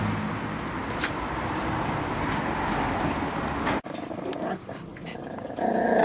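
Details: Miniature Pinscher puppies aged 8 and 6 weeks growling while given meat; a rough, continuous low growl runs steadily for almost four seconds, breaks off abruptly, then returns quieter and patchier with small snuffling sounds.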